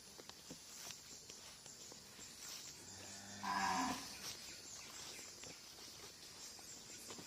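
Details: Cattle on an Indonesian-language livestock farm give a single moo near the middle, a harmonic low call lasting under a second amid steady background hiss and faint clicks.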